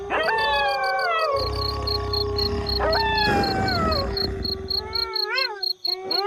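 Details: Multiple wolves howling, long falling glides over a steady held tone, a low rumbling noise beneath the middle section, then quick arched yelps and a rising howl at the close.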